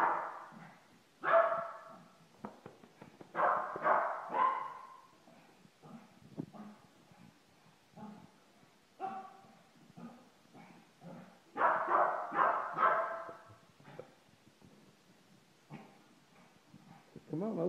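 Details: An excited Shih Tzu dog giving bursts of sharp, high yips and whiny barks in irregular clusters, separated by short quiet gaps, with a few softer whimpers between the louder outbursts.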